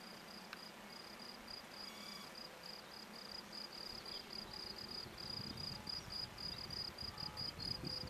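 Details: Field cricket (Gryllus campestris) calling from a sports field in Brasschaat, Belgium, where its habitat was destroyed: a high, ringing chirp repeated about four times a second, steady throughout, over a low background murmur.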